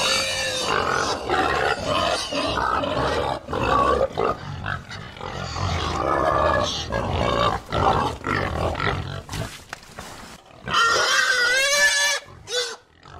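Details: A herd of pigs in noisy chorus, dense overlapping grunts and squeals rising to piercing screams near the end, calls tumbling rapidly with only brief gaps.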